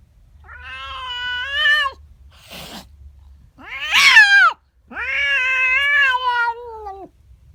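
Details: Female pet cat reacting in the morning to a neighbour cat in her garden: three long harmonic yowls, about one and a half seconds each, wavering and bending in pitch, with a brief rustling noise between the first two.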